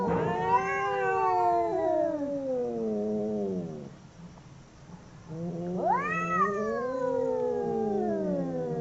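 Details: Two domestic cats fighting: long descending yowls with a low moaning voice underneath, a near-silent pause, then a fresh wail that leaps upward and slowly drops away again.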